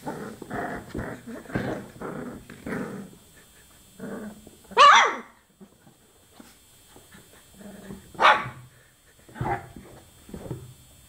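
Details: Chocolate Labrador Retriever puppies, 24 days old, making rough growling bursts in a low-to-mid register, broken by two sharp, high yelps near the middle and end, with short pauses between.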